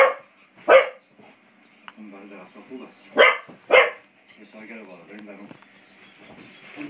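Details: Beau, a five-month-old English Springer Spaniel, plays with a door spring, letting out three sharp barks, the last two close together, while a person talks quietly in the background.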